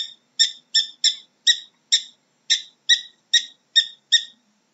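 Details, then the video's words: Prairie dog giving a series of eleven sharp, high chirps, each a short stacked burst, repeated at roughly three per second at a slightly uneven pace, with a brief gap midway; no other sounds are heard. "How does a Prairie Dog sounds"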